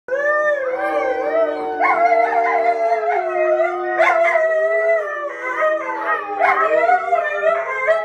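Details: Little puppy howling in long, wavering tones that hold steady, then bend upward and back down, with rich overtones and brief higher yelping rises near the middle and end; steady throughout with no other sounds.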